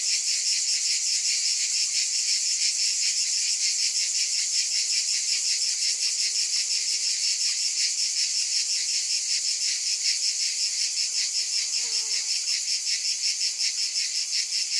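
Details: Cicadas drone in a continuous shrill chorus that pulses a little under three times per second. A faint, lower chirping sound briefly shows through near the end.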